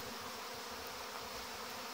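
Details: Honey bee brood taking their orientation flight on an August day, 2019, great numbers of bees circling the hive fronts. Even, droning buzz sustained from start to finish, slightly rough and fluttering.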